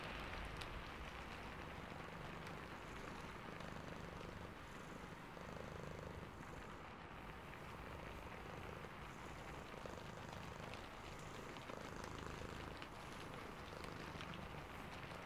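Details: Sleepy cat purring while rain falls: a low, throbbing rumble in steady pulses that runs the whole time, half buried under a continuous broadband hiss of rain with scattered brighter drop sounds.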